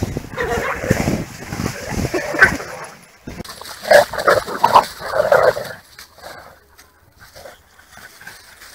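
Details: Pair of pit bull terriers, weighing 26 kg and 28 kg, tugging against each other; dense snarling and rasping growls in rapid clusters, then fading to quieter grumbles, with a person talking in Spanish.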